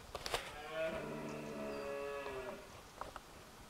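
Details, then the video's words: At dawn during the rut in a Scottish glen, a deer gives a deep, drawn-out roar, a single throaty bellow under two seconds, answering other deer amid the birds' dawn chorus. "Deer roaring during the rut - at dawn, Scotland, part two."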